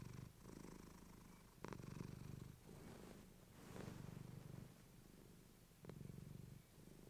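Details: Close, fluffy-mic recording of Clementine, a female pet cat, purring: loud low rumble in breath-length bursts with brief gaps between, plus a couple of soft rustles.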